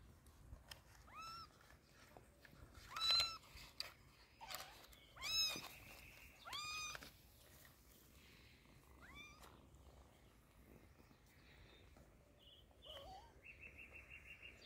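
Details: Kitten crying while treated with eye drops for its sore eyes: sharp, high meows in clusters, several arching up and down in pitch, then quieter, fainter squeaks toward the end over soft background hiss.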